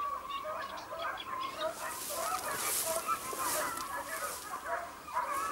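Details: Segugio Italiano hound on a hare hunt at Sofiko, Evros, 12 June 2021: distant, tonal baying cries ring out irregularly, overlapping one another, above a steady background hiss.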